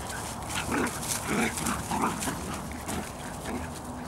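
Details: Bedlington Terriers from the Airy Step kennel, mother Leya (Iris Blue Iskra) out on a walk with her puppies; short high yips and whimpers scattered through the clip over steady outdoor background noise.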